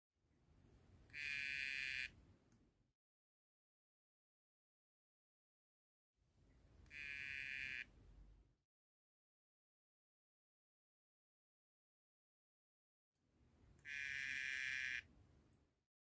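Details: Courting male Dendrobates tinctorius Cobalt calls to a female, who taps his back while he keeps calling to mate; three buzzy, evenly pitched trills of about two seconds each, spaced roughly six seconds apart.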